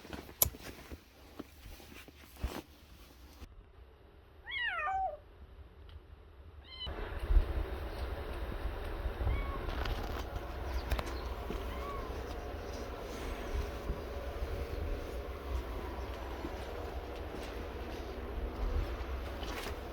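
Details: Yard cats: two or three short, wavering meows rise and fall just before the middle, then give way to steady low rumbling background noise with no further calls.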